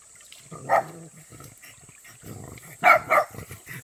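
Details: A pet dog that loves water and jumps in whatever the season, giving a few short, sharp barks: one near the start, then a quick pair close together near the end, with soft rustling and splashing-like noise between.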